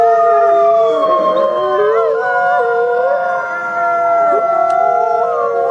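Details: Several gray wolves howl together on a trail camera, their long, smooth voices overlapping and gliding up and down.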